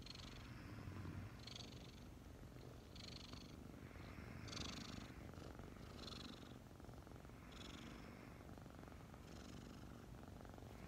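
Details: A pair of five-month-old kittens cuddled up in the morning, purring: a steady low rumble with rhythmic hissy inhale and exhale bursts repeating about every one and a half seconds.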